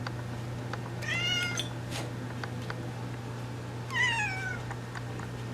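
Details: Domestic cat meowing indoors: two drawn-out, harmonic-rich meows about three seconds apart, each sliding slightly downward, over a steady low electrical hum with faint clicks.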